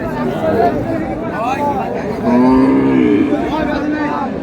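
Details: Cow at Raniganj cattle market (haat) in Dinajpur, sold with her calf, May 4, 2026: a low, steady, drawn-out moo swells midway and holds for nearly a second, buried in constant crowd chatter and bargaining voices.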